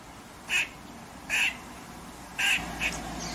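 An eastern grey squirrel gives four short, harsh, raspy barks at uneven intervals.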